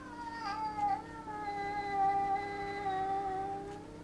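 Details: Domestic cat in a home garden, furious at a bullying magpie and another cat invading its space: a sustained, drawn-out caterwaul lasting the whole stretch, dipping then holding steady with rich overtones, loudness rising and falling.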